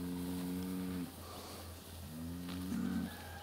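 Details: At a Siberian village in Altai Krai, a bull lagging behind the departing herd gives two long, resonant bellows, the second swelling louder toward its end, over a low steady hum.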